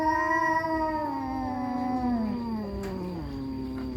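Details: Village cats, an orange and a black, fighting: one sustained low moaning yowl that slowly slides downward in pitch over four seconds, with a faint steady high whine behind it.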